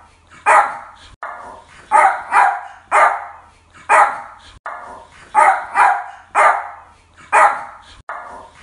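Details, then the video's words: Repeated barks from a Yorkshire Terrier, crisp and mid-pitched, arriving singly or in close pairs roughly every second across the stretch, with faint low hum underneath. "Yorkshire Terrier Barking Sounds"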